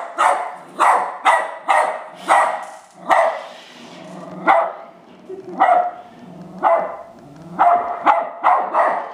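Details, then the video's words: West Highland White Terrier barking at an R2 robot: loud, sharp barks in bursts, roughly one or two per second with short pauses, clear and dominant throughout. "Westie barking at R2"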